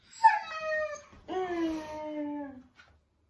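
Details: Complaining Siberian Husky at home with dad: a sharp yelp dropping into a descending whine, a brief pause, then a long wavering howl-talk that slowly falls in pitch and fades.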